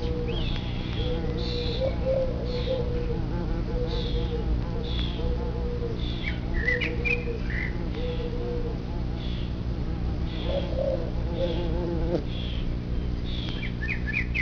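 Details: Bumblebees coming and going from their ground nest under an upturned clay pot in the morning, the pot amplifying their buzz: steady droning hums rising and falling as individual bees pass, over a low rumble, with bird chirps above.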